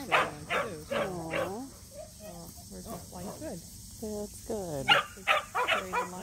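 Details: Samoyed barking at a local match show, Mozart and Zuko's first: clustered yips and barks with falling pitch, broken by brief pauses, mixed with people talking nearby.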